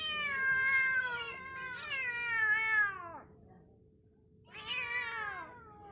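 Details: Pet kittens meowing: a long, loud, falling meow of about three seconds, then a pause and a second shorter wavering meow, over a faint steady hum.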